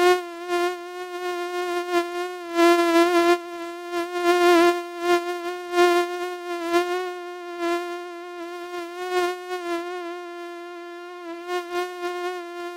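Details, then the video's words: Whining flight buzz of a common house mosquito, held on an unbroken steady pitch with bright overtones, its loudness pulsing irregularly as if the insect passes nearer and farther away. "Mücken Sound und Beschreibung 🦟Mücken Sound 🔈Mückengeräusch"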